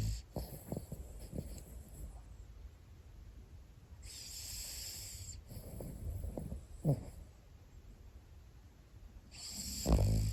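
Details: Sleeping Pomeranian brothers, snoring: irregular low snorts and wheezy breaths, with two longer hissing exhalations near the middle and end, over faint room noise.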